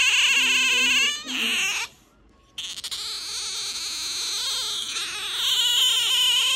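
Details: Pet otter gives an affectionate begging whine: high, thin, squealing cries, a wavering harmonic wail, a brief pause, then a longer run of shrill, reedy squeaks.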